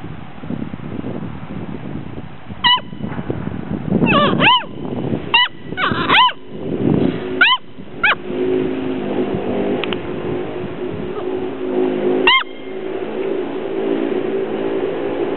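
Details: Gordon Setter puppies, six weeks old, at play in sunshine, 2009: sharp high yips, single and in quick pairs, scattered over steady rumbling, scuffling and rustling noise from the tumbling litter.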